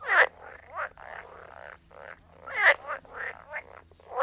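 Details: Frogs croaking close by, long grating, pulsed croaks run almost continuously with a few short breaks, loud bursts at the start and middle over a low steady hum.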